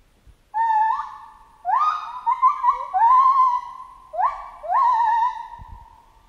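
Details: Chimpanzee calling in the jungle: long, loud, tonal calls with rich harmonics that jump upward and hold, several overlapping in a sustained chorus, ending in a pair of rising cries.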